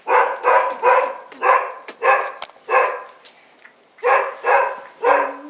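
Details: Bull Terrier puppies out for the first time, 18 January 2015, giving a fast run of about nine short, sharp yapping barks in small bunches, with a brief gap near the middle and a thin whine at the end.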